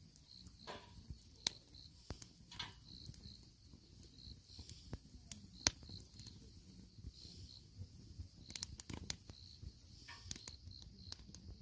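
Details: Crickets and other grass insects at a campsite beside a campfire, giving high, steady chirps in short pulses throughout, over the snapping and popping of burning firewood.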